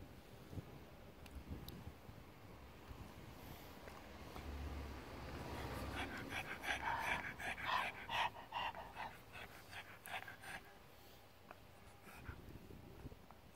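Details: Cookie, a pet pug lying in the sun on a deckchair and excited by petting, pants in quick rhythmic breathy bursts that swell in the middle and then fade, over a soft background hiss.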